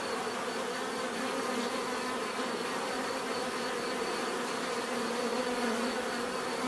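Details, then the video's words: Bees humming in a dense, unbroken buzz, the layered tones wavering slightly as individual insects pass, with a persistent faint high whine. "bees therapy relaxing natural buzzing sound"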